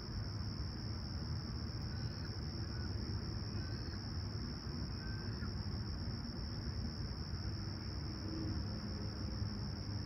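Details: Crickets at sunrise on a clear, calm summer morning at Humber Bay Shores, Toronto, July 28, 2020, 20ºC. A steady, high, unbroken shrill drone runs throughout over a heavy low rumble, with a few faint bird notes.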